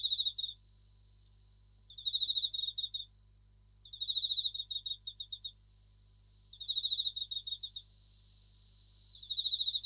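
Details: Japanese bell crickets, called suzumushi, singing at night: bursts of rapid, high, bell-like pulsed chirps lasting about a second, separated by short pauses, over a steady high-pitched insect drone.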